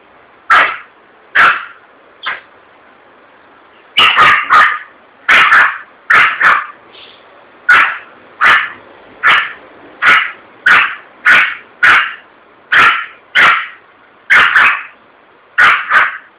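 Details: A frightened Yorkshire Terrier barks in sharp, high yelps, repeated rapidly and steadily, after a balloon bursts at a shop in Vitória da Conquista.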